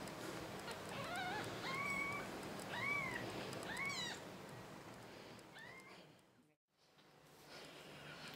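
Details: A little kitten, recently returned to its mother cat, which now guards it protectively, mews about five times in thin, arched, whistly cries that rise and fall, spaced roughly a second apart, with a brief silence near the end and faint room noise.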